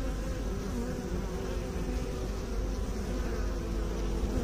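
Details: Bees tied to beekeeping give a steady, dense droning hum with low, layered harmonic bands that hold level throughout, with no other clear sounds.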